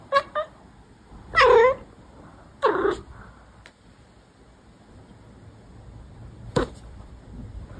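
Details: Cat from a Douyin compilation giving a few short, wavering meows, two close together early, then a longer rising-falling meow and another around three seconds, followed by quiet with a faint click late.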